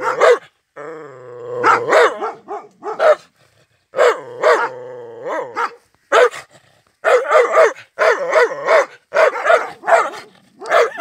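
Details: Angry white Rottweiler barking hard: harsh, loud barks in bursts and clusters, with a drawn-out growling stretch near the start and another before the fourth second, then rapid barking to the end.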